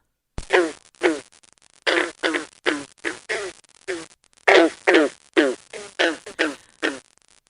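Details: A green frog in a Connecticut wetland in spring gives twangy low notes like a plucked loose or broken banjo string, repeated in a quick series.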